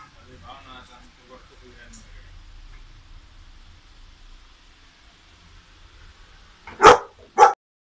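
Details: Golden Retriever undergoing a physical examination at Dr. Sagir's Pet Clinic; soft human talk fills most of the stretch, then the dog lets out two sharp, loud barks about half a second apart near the end.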